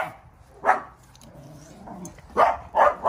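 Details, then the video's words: Maltese x Chihuahua mix barking at a mastiff: one shrill yap, a pause with low murmuring, then a rapid burst of three high-pitched barks. "high pitch barking. Chihuahua Vs Mastiff"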